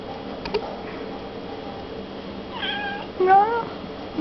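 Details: House cat chattering at a person holding an empty milk carton indoors: after quiet room noise, two wavering, stretched meows near the end, with a woman speaking to her.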